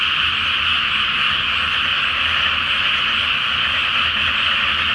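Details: Nighttime croaking of many frogs across a flooded paddy awaiting planting, beneath the full moon; an even, seamless chorus of rapid overlapping calls, steady and loud from start to finish.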